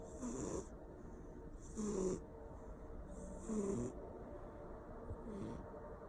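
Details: Persian cat snoring loudly while asleep at home, rasping snores repeating about every one and a half to two seconds, each breath with a falling low tone and a hissy top, steady faint hum beneath.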